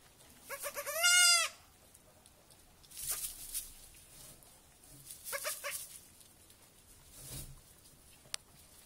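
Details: Young goat kids on their first evening at a children's petting farm; one loud, wavering, nasal bleat early on, then softer, shorter bleats a few seconds later with light rustling between.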